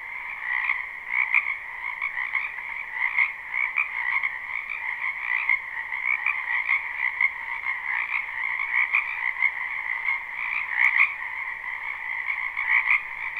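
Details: Frogs croaking in a spring wetland, recorded live with no looping. Close, pulsing calls rise above the steady chorus, bursting roughly every half second to second in rhythmic trills, with occasional sharp louder notes over the background drone.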